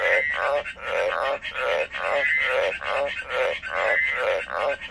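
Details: A captive pet frog croaking in a steady pulsing rhythm, each raspy throbbing call lasting about half a second, repeated roughly every second, with a faint high whistle-like tone recurring over the calls.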